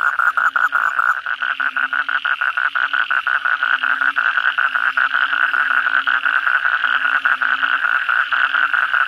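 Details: Night chorus of many bangkong toads after a heavy downpour, rapid clicking pulses merging into a continuous buzzing roar, with a faint low tone repeating in the background.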